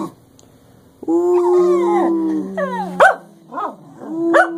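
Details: Cleo and Xanadu, two English Cockers, howl in a duet. Overlapping sustained tones, one higher and one lower, start abruptly and hold for seconds. Quick upward-sweeping yips and barks follow near the end.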